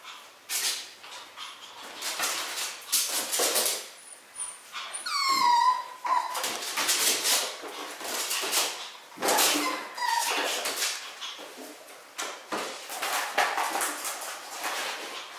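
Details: Two miniature schnauzer puppy brothers born on October 11 let out a high descending whimper midway, then a shorter whine later, amid steady rustling and scuffling noises.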